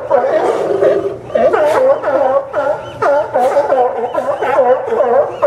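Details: Barking sea lions hauled out on the Newport Sea Lion Docks, Yaquina Bay, Oregon, September 20, 2015: dense, hoarse, rhythmic barks from several animals, rising and falling in quick overlapping bursts.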